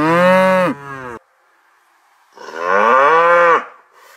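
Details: A cow on a village dairy farm in the countryside gives two loud, rich moos. The first is short and drops at its end. The second rises, then holds, after a quiet gap.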